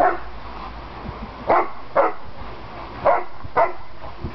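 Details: Playful barking from Landseer dogs Aiko, Adina and Zindy together indoors: four loud, separate barks in two pairs, with low room noise between them.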